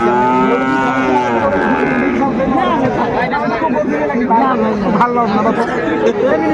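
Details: Sahiwal bull calf at a cattle market in Noakhali, Bangladesh, 22 February 2025: a long, low, harmonic moo rises and then falls over the first two seconds, with a crowd talking and bargaining all around.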